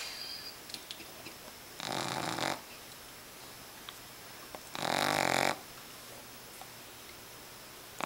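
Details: Boston Terrier puppy sleeping with eyes open, snoring loudly indoors: two harsh, raspy, broadband snores about three seconds apart, each lasting under a second, separated by quiet breathing.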